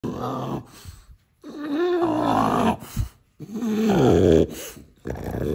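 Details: A French Bulldog grumbling and growling indoors in a small room, in three drawn-out, throaty, moaning bursts with wavering pitch, separated by short pauses.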